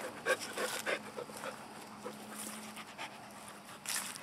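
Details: Playful panting from CeCe, a neutered male Wheaten Terrier mix aged two and a half, with rapid airy puffs repeating several times a second and a couple of louder breathy bursts.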